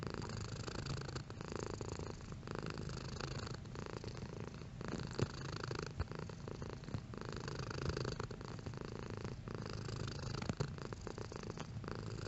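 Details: A domestic cat's purr, a low buzzing rumble repeated in rhythmic breath cycles roughly every second, fairly even in loudness, with faint soft clicks.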